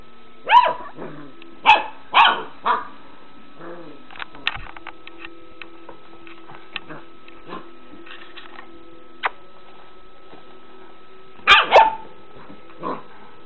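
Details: Three-month-old puppy scared of a cat toy, barking sharply: four quick barks in the first three seconds, a long quiet stretch with faint knocks and clicks, then two more barks near the end.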